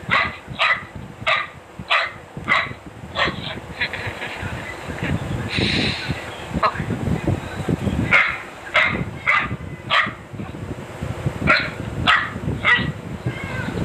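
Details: Dachshund barking in a compilation of funny dog and puppy barks: a quick run of sharp, bright barks about every half second, a brief noisy pause midway, then the barking resumes at the same rapid pace.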